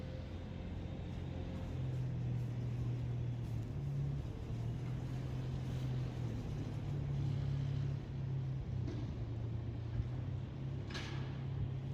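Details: Steady low engine-like rumble with a droning hum and faint outdoor background, no animal voices heard.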